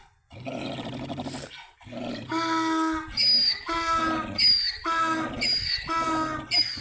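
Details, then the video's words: Donkeys fighting, with harsh raspy groans followed by a loud braying series of strained honking pulses, roughly two per second, rising in strength toward the end. "Donkey's fighting"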